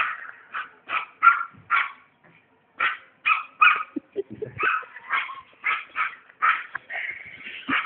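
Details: Chester, a happy dog, yapping in quick irregular bursts of short barks, with a low grumbling pause midway before the barking resumes, ending in a drawn-out whine-like bark.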